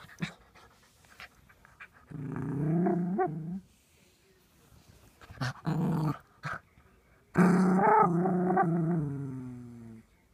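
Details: Six-month-old Miniature Poodle puppy Brody growling while playing peek-a-boo indoors; several sustained harmonic growls, the last long and fading, over a steady background hiss with soft knocks.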